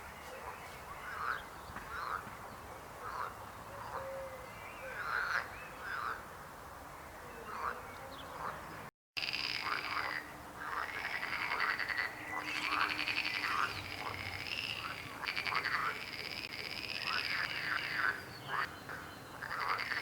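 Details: Frogs croaking in a dense chorus: overlapping rasping, pulsed croaks with bright harmonics, rising and falling in bursts several times a second, with a short silent break near the middle and a steady background hiss.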